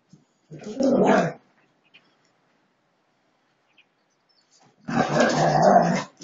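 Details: Two bursts of rough, grumbling growls from Husky dogs in a friendly fight, the first about a second long and the second longer, separated by several seconds of quiet.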